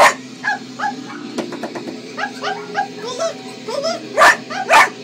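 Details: Pet cocker spaniel barking indoors at puppy sounds played on a computer; short high yips and barks repeated roughly twice a second, mixed with a person's voice talking to the dog.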